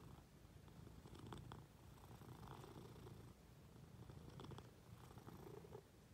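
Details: Quiet, even purring from a Munchkin cat snuggling up to its owner in bed, a soft low rumble with light rustles and faint indoor background.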